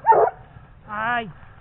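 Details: A 17-month-old Gascon Saintongeois hound on a wild boar trail gives a single drawn-out bay, rising then falling, after a rough noisy burst.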